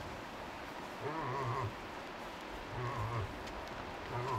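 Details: Cow moose accompanying a five-point bull moose in Tokke, Norway, calling often with a very bleating voice; three drawn-out, nasal, low harmonic bleats, each about half a second long, roughly every one and a half seconds, over a steady background hiss.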